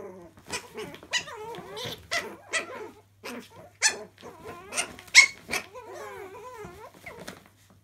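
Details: In a laundry, Chihuahua puppies wrestle with rapid, bouncing whiny growls and squeals, short bursts separated by brief silences, with occasional sharp yips.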